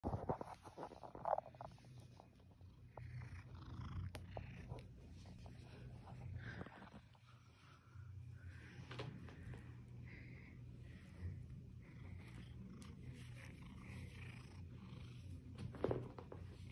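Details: Seal Point Siamese cat, male, rescued as a kitten from a hoarding situation, snuggling and nibbling for attention; low steady purring rumble throughout, with rustling, handling noises and a few soft clicks.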